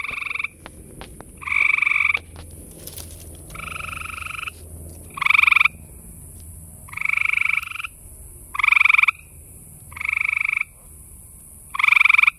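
Gray tree frogs in chorus, each giving a short, musical trill repeated every couple of seconds.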